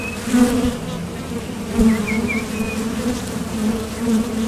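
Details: Honeybee foragers buzz at the Top Bar Hive entrance while leaving and landing; a continuous low hum with short louder swells, plus a few faint rising bird chirps.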